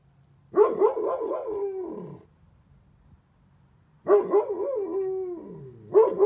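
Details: Great Pyrenees named Bear howling in response to a fire truck siren, trying to match its tone; two long, wavering, mid-pitched howls, each with sliding rises and falls, separated by a short quiet gap, a third beginning at the end.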